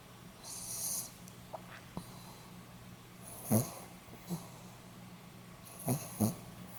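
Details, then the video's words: Pomeranian dog snoring, recorded 8 November 2015: scattered breathy snorts with hissy upper tones, some single and some in quick pairs, spaced irregularly over a low steady hum. "ポメラニアン 犬のいびき"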